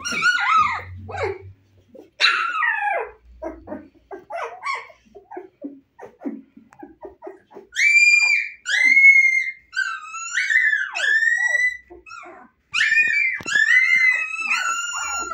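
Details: Husky puppies at 25 days old, eyes open, playful: scattered soft yips and squeaks at first, then a series of drawn-out high whimpers and howl-like whines, each lasting about a second.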